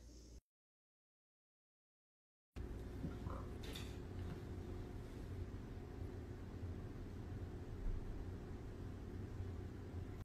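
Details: A brief silence, then a steady low rumble of engine or traffic noise with a faint click and no animal voices.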